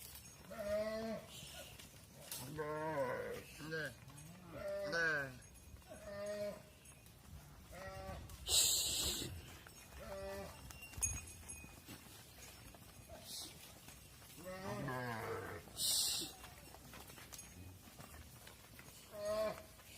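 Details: Cows entering a barn while their calves remain outside on the farm; repeated short wavering bawls follow one another every second or two, with occasional bursts of clattering noise.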